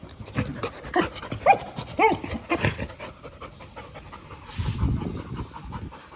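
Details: An angry dog pants in quick rough breaths, with a few short, tonal whining or yelping notes clustered around one to two seconds in, then a brief noisy rustle near the end.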